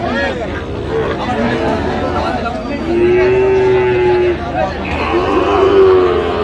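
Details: Sahiwal cattle at the Ambari livestock market in Dinajpur district, Bangladesh, on a Friday, 3 January, where Sahiwal bull calves are being sold; a drawn-out, level moo lasting over a second, then a shorter one, over men's talk and market chatter.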